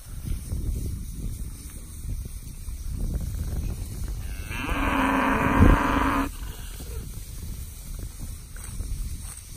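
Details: Herd of bred Brangus, Beefmaster, Charolais and crossbred cows with calves, aged four years to missing teeth. A single loud, drawn-out moo of almost two seconds stands out over a constant low rumble of outdoor noise.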